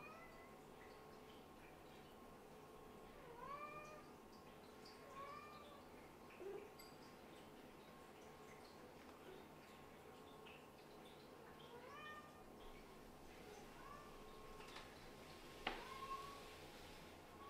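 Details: Kitten of a Scottish Fold and British Shorthair litter, indoors on a cold day, being put back to bed after falling asleep; several soft, high, arched meows come in short bursts, separated by quiet room tone.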